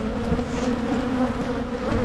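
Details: Michigan beekeeping colony of Carniolan honey bees during spring hive splitting meant to prevent swarming; continuous droning hum, slightly louder and wavering, with no voices over it.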